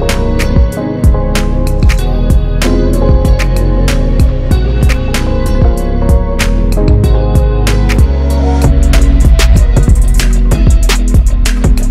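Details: Loud music with plucked guitar, steady drum hits and bass fills the whole stretch, and no animal sounds come through.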